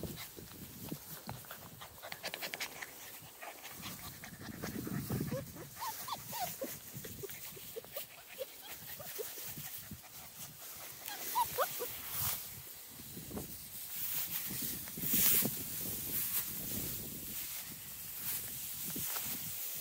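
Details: Six-week-old Small Munsterlander puppies from Jig's litter at Gosch Kennels moving through tall grass; soft, brief whines and panting sounds come now and then over steady rustling of grass and footsteps.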